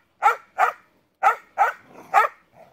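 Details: Sheepadoodles, puppies meeting the big dogs: five sharp, clear barks in two quick pairs and a single, then a softer short bark at the end, with near silence between.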